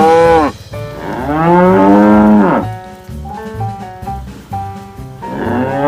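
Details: Tame cows being herded in daytime moo loudly: a short moo followed by a long, strained moo of about two seconds, then another rising moo near the end, with rhythmic background music between calls.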